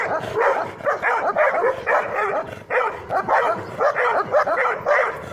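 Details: Afghan Kuchi dog facing off against a German Shepherd and a Labrador: rapid, overlapping barks about twice a second, harsh and mid-pitched, several dogs calling over one another without pause.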